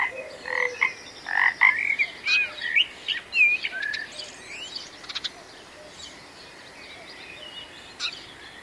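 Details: Frog croaks, several rising and twangy, fill the first five seconds, then fade. Quiet background with a few faint chirps and one short click follows.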